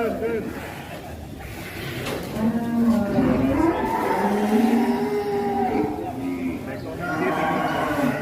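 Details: Farm cattle in Indonesia low long moos, several sustained bellows overlapping in a steady stream, with music and human chatter mixed in behind.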